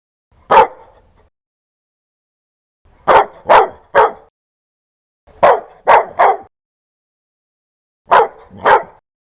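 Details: Fierce, loud dog barking: one bark, then tight groups of three, three and two harsh, punchy barks with gaps of about two seconds. Nothing else is heard.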